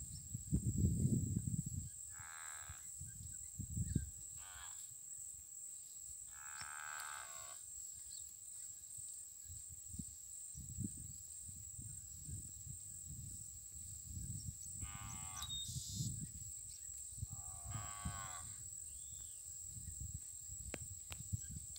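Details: Nelore cattle herd on a farm at sunset, grazing in the pasture: a low, deep moo opens the stretch, another short low call follows near four seconds, while high harmonic bird calls, a steady high insect whine and faint rural background carry on.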